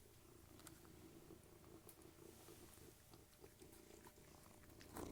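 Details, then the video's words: Three domestic cats purring while eating indoors: a steady low pulsing rumble runs throughout, with sharp crunching clicks of dry food being chewed scattered over it and a louder rustle at the end. "Cats Eating and Purring"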